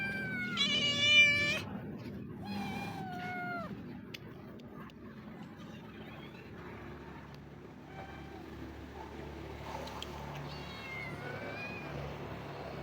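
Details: Hungry stray street cat giving several short, bending meows early on, one loud and sharp, then quieter scattered mewing later amid low background hum and outdoor noise.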